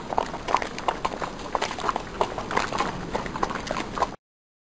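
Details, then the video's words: Horse hooves striking hard ground in a rapid, lightly irregular clip-clop about three times a second, then the sound cuts off abruptly into silence for the final half second. "HORSE SOUNDS"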